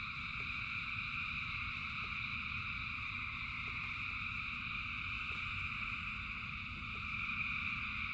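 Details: A rain-soaked frog chorus of thousands of callers, heard as a constant buzzing drone in stacked pitches, backed by steady falling rain and light periodic clicks.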